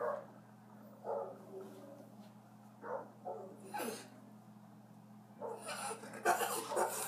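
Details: A Puggle, a half Beagle, half Pug cross, is heard for the first time making Beagle-like sounds instead of his usual Pug sounds. Short scattered yelps and whines come in separate bursts, with snuffly noises and household background.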